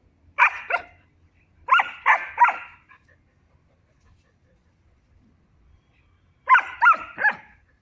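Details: Kaali, a female German Shepherd puppy aged three months, plays with a Barbari billy goat at Gangeya goat farm in Muzaffarpur, Bihar, giving three bursts of shrill, rapid yips, two to three barks each, separated by pauses.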